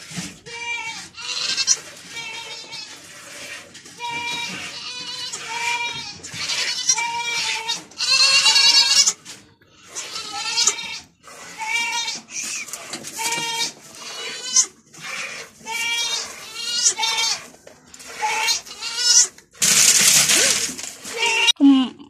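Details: Domestic goat bleating while being milked with difficulty, her kids nearby and interfering; a rapid run of wavering, nasal, harmonic bleats, several overlapping and repeated every second or so, ending with a brief burst of noise.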